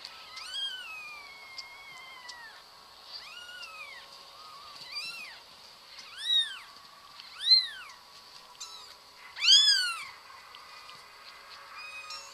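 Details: Domestic cat meowing repeatedly, arched harmonic-rich meows rising then falling, some long and drawn out, about every second or two, loudest near the end; faint steady high hiss in the background.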